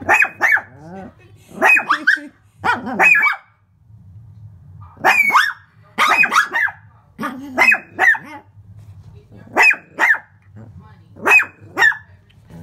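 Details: Indoor Shih Tzu yapping at its reflection in a window pane, giving a long run of shrill, quick barks, single and doubled, spaced about a second apart, with a faint woman's voice between them.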